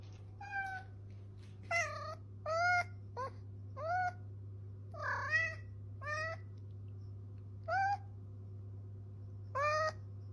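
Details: Blind cat crying for its mother indoors: a series of about nine plaintive, drawn-out meows, each rising then falling, spaced one to two seconds apart, over a steady low hum.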